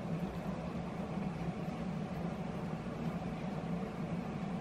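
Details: A continuous broadband rumble like a running engine or vehicle interior drones throughout, with no animal calls standing out.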